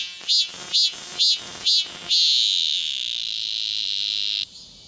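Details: Shrill cicada calling, recorded on a Galaxy S24 Ultra: five pulsing buzzes about half a second apart merge into a steady high whine that cuts off abruptly near the end.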